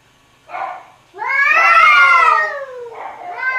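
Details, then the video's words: Cat and kittens meowing: a short nasal mew, then a long loud strained meow that rises and slowly falls, followed by a shorter softer meow. "Som de Gato e Gatinhos Miando"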